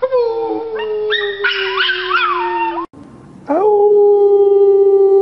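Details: Young puppies howling: a sustained falling tone with a higher wavering howl layered over it, a short silence, then a new howl rising quickly and holding level to the end.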